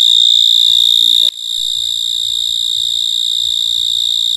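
A cricket gives a steady, high-pitched ringing trill that carries on without a break.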